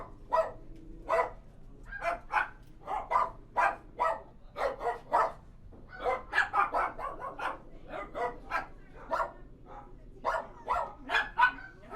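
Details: Several dogs in a kennel barking steadily for twelve seconds; sharp, rough barks come one after another, sometimes doubled or tripled, in an echoing indoor space.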